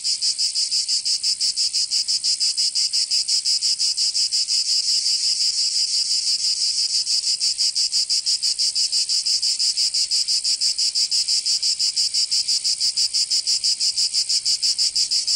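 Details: Massed cicada song heard in summer in Provence, in the south of France, a relentless high-pitched whirring that swells and dips in regular beats about three times each second, without other noises.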